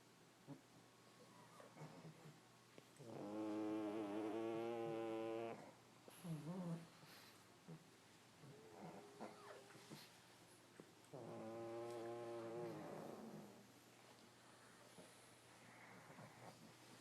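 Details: Several pug dogs asleep together in a pile, one giving two long, loud, buzzy snores about eight seconds apart, each a rich wavering drone of two to three seconds, with soft sniffles and breathing between them.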